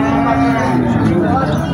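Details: Bull at the Maynamati Saber Bazar cattle market in Comilla, crowded with buyers and sellers on a Friday before the 27th of Ramadan, giving a steady, droning, harmonic low moo throughout, with crowd chatter behind.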